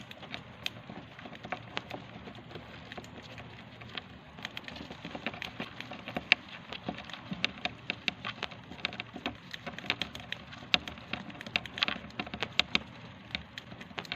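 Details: Hamsters nibbling dry seeds, using their hands while eating: rapid, irregular, crisp cracking clicks over a steady low hiss.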